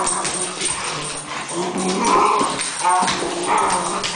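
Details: A cocker spaniel growls and whines in bursts while playing with its brother; the growl sounds mean but is playful. A person's voice and music are behind.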